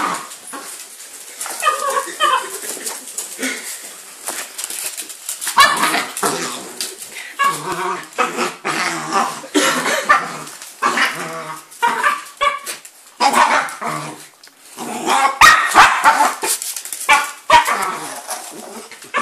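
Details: On Christmas morning, 25 December 2012, two 4-year-old dogs, a male miniature Jack Russell and a female Jack Russell–Chihuahua cross, whine and give short excited yips while opening presents amid loud rustling and tearing of paper.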